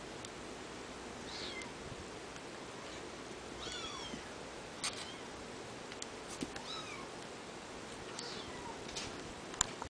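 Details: Domestic kittens under a month old, fighting: scattered thin, high mews, some rising and falling quickly, over a steady background hiss with small bumps and scuffs.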